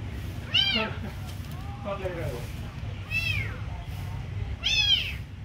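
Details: Kitten mewing while being given food: three high, arched meows with bright overtones, the first and last loudest, plus a softer quavering call between them, over a low background hum.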